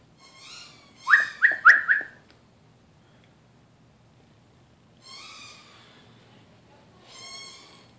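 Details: Cute kitten wandering around a garage during a brake pad change on a Ford Explorer, probably a neighbor's pet: a burst of short high squeaky meows near the start, then two longer drawn-out meows, over faint shop noise.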